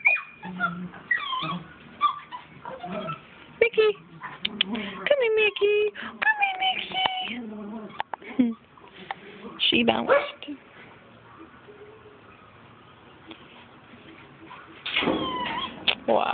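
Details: Two Miniature Schnauzer puppies, a salt-and-pepper female and male, socialized with adult schnauzers indoors; bursts of high whines and yelps sliding up and down, some with harmonics, coming in busy clusters with quieter gaps, while people talk over them.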